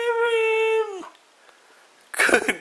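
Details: Mishka, a talking Siberian Husky chasing seagulls, gives a steady, even-pitched howl with rich harmonics lasting about one second, then falls silent before a person's praising voice breaks in.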